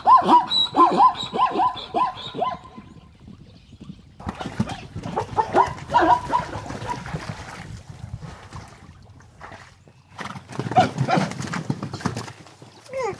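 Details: Wild zebras in Kenya, recorded at a frequented water hole with hidden recording rigs: a rapid run of harsh, yapping barks opens the recording, followed by scattered quieter calls, snorts and rustling.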